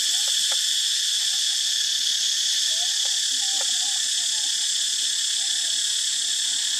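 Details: Cicadas at an archaeological park where monkeys live form a dense chorus: a steady, shrill, hissing, loud, high-pitched drone that never pauses, with faint lower chirps and brief clicks beneath the wall of insect sound.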